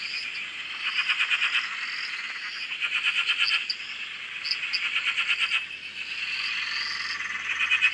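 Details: Night-long style frog chorus at a dam in Australia: several overlapping pulsed croaking trills, fairly soft, blending into a continuous chorus with faint higher chirps.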